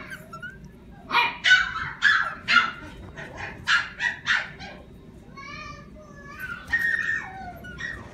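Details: Small, lively and playful Yorkshire Terrier barking in a rapid run of about eight bright, yappy barks, followed by thinner whining, whimpering notes toward the end.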